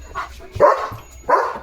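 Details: German Shepherd named Leo reacting to a tractor near the house, giving two loud, clipped barks about two-thirds of a second apart over quiet background rumble.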